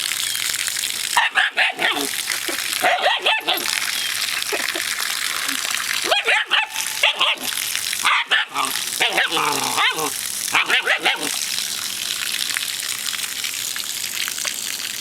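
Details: A new pet dog, scared of the water, barks in short bursts of several sharp yaps with gaps between, over constant loud rushing water noise and a person calling to it.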